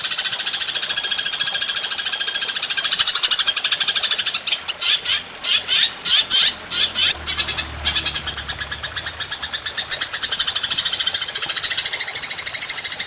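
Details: Long 'nembak' call of belalang emas, kept as tutor audio for cage songbirds: a steady high metallic pulsing rattle, interrupted in the middle by stronger, spaced, emphatic clicks, then flowing on evenly.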